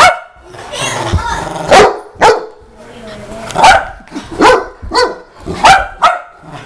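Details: Saint Bernard barking in a run of short, resonant woofs, several close together near the end, mixed with human speech.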